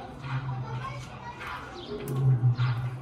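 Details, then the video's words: Lions at Safari Park Gelendzhik, a Black Sea coast animal rehabilitation centre, greeting one another by roaring; a deep, steady rumbling growl swells in the second half, with a person talking excitedly over the start. "ПЕРЕКЛИЧКА! Львы здороваются рыком!"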